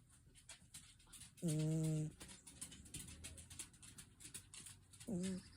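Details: A sleeping cat snoring: two low, buzzy, harmonic snores, each about half a second long and roughly three and a half seconds apart, with soft rustling and faint background noise between them.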